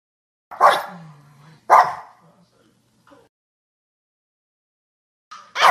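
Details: Single sharp barks from a dog, two close together near the start, then a long pause with a faint sound before another bark at the end.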